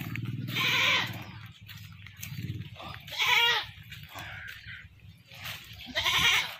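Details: A captured goat, later butchered, gives three loud, harsh, wavering bleats about two and a half seconds apart, with a steady low hum underneath.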